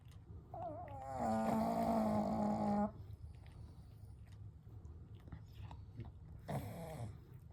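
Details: Pugs Kou, Gen and Shun, three pets sleeping together indoors at night, with one snoring: a long harmonic snore around 1.2–2.9 seconds, then quiet breathing and a shorter snort near 6.5 seconds.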